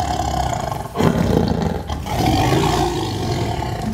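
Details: A Sumatran tiger, recorded from only 2 metres away, gives a deep, rumbling roar that swells and rolls on for several seconds.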